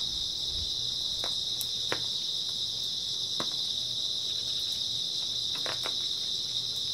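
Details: Grass insects on an early autumn night, between nightfall and dawn: a dense, unbroken high-pitched shrill chorus holds steady throughout, with scattered soft ticks and taps in the background.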